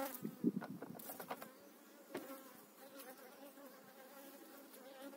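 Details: Spring hive transfer of honey bees, eight frames moved to a beekeeper's own hive in 2018. Knocks and rustles from handling open the stretch, then a steady humming drone of the calm colony settles in.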